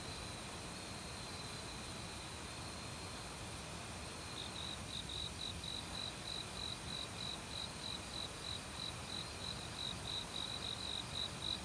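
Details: Autumn cricket in a forest beside a valley stream, calling alongside various other insects. After a stretch of steady rushing water, high thin chirps emerge midway and repeat rapidly and evenly, about three per second, over the constant stream hiss.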